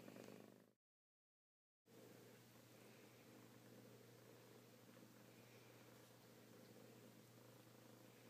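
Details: Kittens give a continuous low purr, briefly broken by a second of silence near the start, then a steady rhythmic rumble resumes over a faint background hum.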